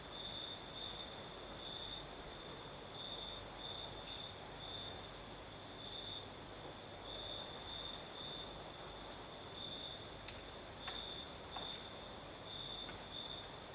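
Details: Southern Crimea at night, crickets singing as the night breeze blows: unbroken high trill punctuated by brighter pulsed phrases, a few faint clicks near the end, steady breeze noise beneath.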